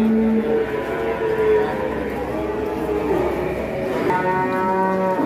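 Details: Curly-haired giant cattle produce several moos. Short level bellows come first, then a strong, bright harmonic moo near the end, against soft background murmur.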